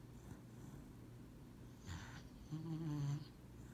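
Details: Lucybelle the dog napping on a lap indoors, giving two low, rough snoring breaths late in the clip, the second longer and louder, over a steady low room hum.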